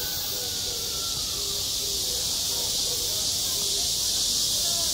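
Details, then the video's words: Summer cicadas at a school sports ground keep up an unbroken, shrill, hiss-like drone. Faint short low tones repeat beneath it about four times a second. "한 여름 운동장에서 매미가 울고 있다 - 여름의 소리, 학교 종소리, 매미 울음소리"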